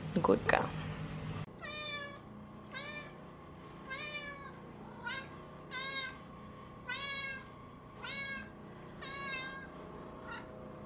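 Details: Domestic cat meowing steadily indoors, about one harmonic-rich arched meow per second repeated around ten times, after a brief loud human voice at the start.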